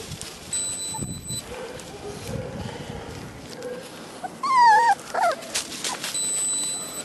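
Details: A young Vizsla puppy, one of Kalì and Fiuto's litter at 30 days old, gives a wavering, descending whimper followed by a shorter yelp, with faint rustling and a steady high background tone.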